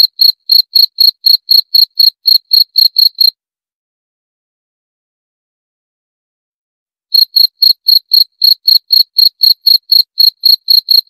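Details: Cricket chirping in rapid high pulses, around four per second, stopping after about three seconds for a silent pause of nearly four seconds, then starting again at the same pace.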